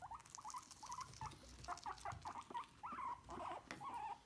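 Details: Guinea pigs squeaking while being brushed: a rapid series of short, chirpy squeaks, several per second, each with a quick upward or downward bend, over a soft brushing rustle.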